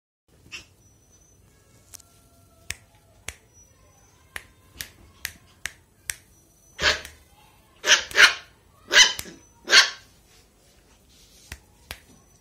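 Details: Mickey, a 45-day-old Lhasa Apso puppy, happy on a bed, gives a run of short, sharp yapping barks in quick succession, preceded by a series of light tapping clicks in a quiet room.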